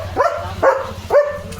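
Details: German Shepherd dog calling out as rain and strong wind arrive: three short rising yelp-like barks about half a second apart, with low wind rumble underneath.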